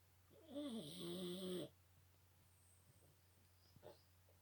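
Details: Big snore from a Boston Terrier, a single drawn-out, wheezy tonal rasp lasting about a second, wavering in pitch, followed by quiet breathing and a faint snuffle in a small room.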